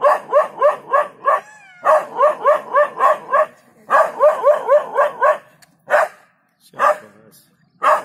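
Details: Spunky dog barking its way out of trouble as a leopard approaches in Jhalana; dense rapid bark series, roughly four per second, breaking into scattered single barks and a brief whine near the end.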